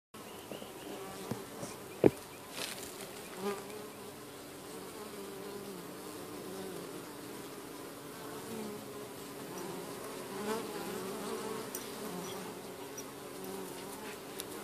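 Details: Honeybees busy going in and out of their hive while driving off an unwelcome beetle; a steady low droning hum of many wings with occasional louder passes and knocks.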